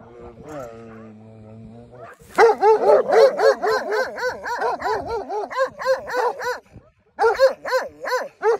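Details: Sheep guarding dogs moving to attack two Dogo Argentino dogs: rapid, harmonic barks about four per second, with short gaps and a brief pause, preceded by a low, steady hum for the first two seconds.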